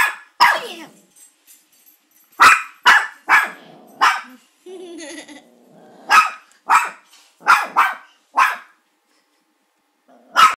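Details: Molly, a pet Maltipoo, barks at an oil painting of a grandfather that caught her attention: sharp high barks in bursts, mostly single or paired, spaced irregularly over ten seconds, with a brief softer voice-like sound in the middle.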